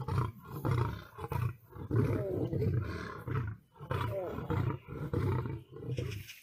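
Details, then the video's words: Lion fighting a tiger: deep, throaty grunting growls pulse in rapid rhythmic bursts, roughly two per second, with rough snarls layered above the low thumping beats. "Lion vs Tiger full battle HD original sound"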